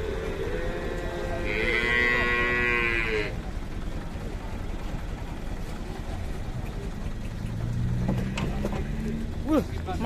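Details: Fierce cow among three females in Indonesia, newly arrived from a cattle workshop: a harmonic moo with a bright upper overtone in the first three seconds, then low rumbling noise and a faint low call near the end.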